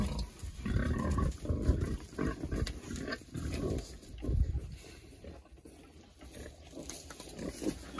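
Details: Several Berkshire pigs being treated for external parasites ahead of winter, rolling around and enjoying it; low, rough grunts come in an irregular, rapid string over a background of farmyard rumble.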